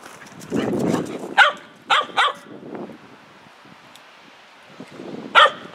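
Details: Dog barking to ask to go outside: sharp, loud single barks and a quick pair, then a pause before two more, with low human voices talking in between.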